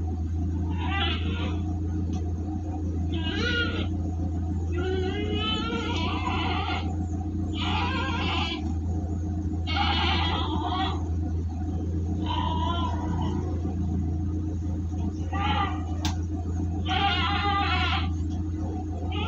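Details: Large goats bleating while being transported for delivery near Singosari, Malang, Indonesia; wavering, harmonic bleats come in bursts about every two seconds over a steady, loud low engine drone.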